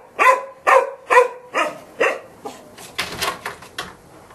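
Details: Golden Retriever barking in quick repeated bursts that fade in strength, followed by a second of scuffling and rustling noise near the end.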